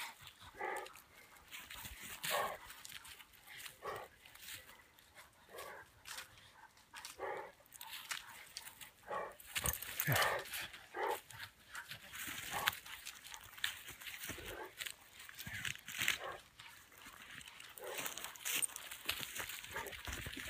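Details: Coyote pups giving short, sharp yips that repeat irregularly throughout. The calls are faint and scattered, with a steady broadband hiss in the background.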